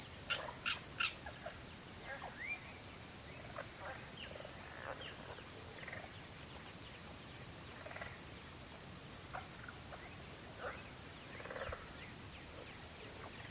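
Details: Twilight crickets keep up a continuous shrill, even-toned trill the whole time, while soft, sparse bird notes flick in and out in the background.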